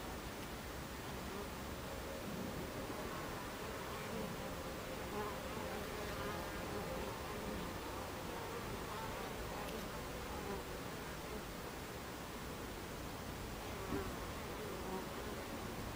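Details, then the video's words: Buckfast honey bees at a beehive entrance, recorded 26 July 2013 at 14:30; a steady, dense droning hum of many bees with faint wavering tones as individuals fly past, continuous throughout without pause. "Beehive Entrance Buckfast Bees"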